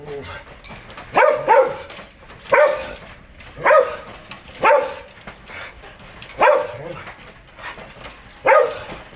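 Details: Dogs of foreign breeds kept at a home, one barking in loud, sharp, throaty barks, sometimes doubled, repeated about once a second with short pauses between.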